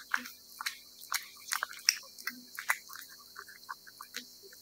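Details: Cat eating wet food, with wet, smacking chewing and licking clicks repeated irregularly, quick bursts every fraction of a second, in a quiet setting.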